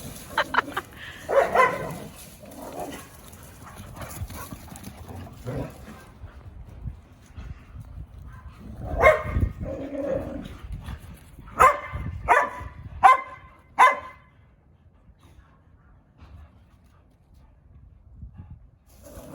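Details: Sugar, a pet dog, gives an attention-seeking bark while playing with other dogs: low scuffling and growly play noises, one bark near the middle, then four sharp barks in quick succession before quiet.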